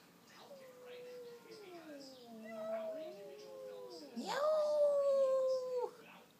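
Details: Free-roaming neighbourhood cats squaring off outside a front door: drawn-out wavering yowls that slide up and down, ending in a louder rising-then-level wail, with a person talking quietly nearby.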